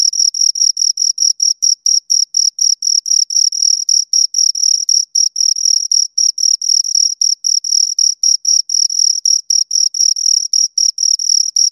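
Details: Two crickets producing a fast, relentless series of high-pitched chirp bursts, about four each second, loud and near, with a faint shimmering overtone and nothing else audible.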